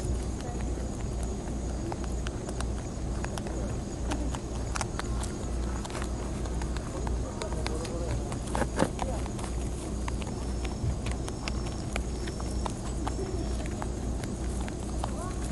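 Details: Wild European rabbits on Okunoshima (Rabbit Island), Hiroshima, Japan, eat timothy hay with a steady run of quick, dry crunching clicks over a low background hum.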